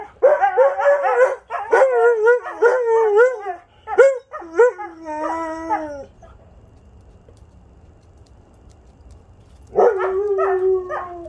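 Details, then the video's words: Several pet Siberian huskies joined by a visiting dog friend on a Sunday, howling together in a chorus of short, wavering, yodel-like howls and yips for about six seconds, a pause, then another sustained falling howl. "Husky Howling Session"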